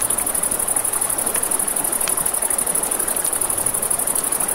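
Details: Crickets at night beside a river, a steady high continuous pulsing trill running throughout, mixed with crackling campfire pops and the broad hiss of flowing water.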